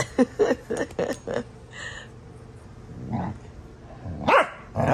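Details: Two pet dogs, Astrid and Brielle, horsing around in rough play, with Astrid sounding mean. A quick run of harsh growling barks fills the first second and a half, followed by a man's voice, laughter and a later sharp yelp.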